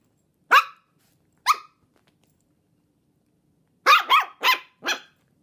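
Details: Chihuahua and long-haired Dachshund mix puppies, 10 1/2 weeks old; two sharp high yapping barks, a pause, then a quick burst of four barks close together.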